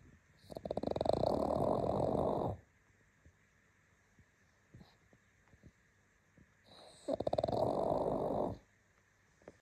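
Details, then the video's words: Sleeping pug named Bubble gives steady, throaty snores. Each buzzing, fluttering inhalation lasts about two seconds, followed by a quiet pause of some four seconds with faint nasal clicks. Two snores are heard. "Pug snoring"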